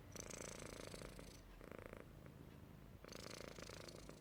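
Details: Sleeping Persian cat described as happy, snoring indoors: a low, rough, continuous rumbling with fast pulsing, swelling louder and softer over a few seconds, with brief breathy hiss in the middle.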